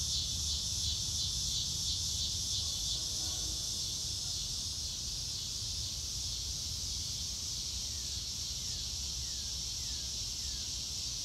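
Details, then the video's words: Crickets on a blue-sky day, recorded in real time with no music: a dense, high-pitched pulsing chorus holds steady throughout, with soft low rumble beneath and a few faint downward-sliding whistles late on. "Nature Sounds - Real Time - No Music - Meditation - Crickets"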